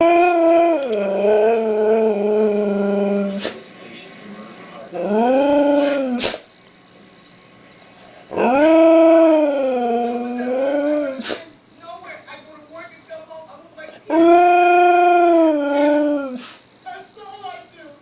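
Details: Siberian husky howling to wake everyone for breakfast: four long, harmonic howls, each dipping then rising and sliding, about three seconds apiece with pauses between, broken by snorting sneezes and scattered clattering sounds.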